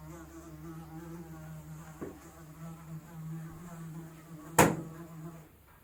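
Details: Fly buzzing as a steady low drone with harmonic bands, faintly wavering in pitch throughout, broken by a sharp knock near the end; recorded as real sound without processing.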